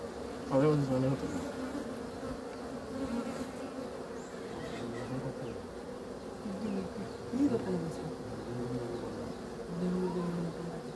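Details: Honey bees humming in a steady low drone, with several short louder, lower-pitched buzzes as individual bees fly near.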